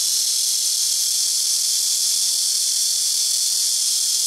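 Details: Black cicada (malmaemi) in trees beside a home rooftop, where nearby trees take turns with loud calls; a steady, very loud high-pitched hiss-like buzz that holds without a break throughout.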